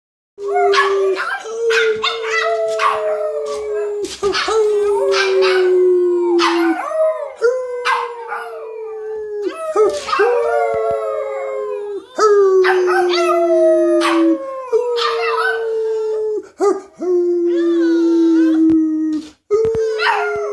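A Boston Terrier gives a run of drawn-out howls, each a sustained, slightly quavering tone that sinks at the end before the next begins. Short yips break in between, and people talk and coax the dog along.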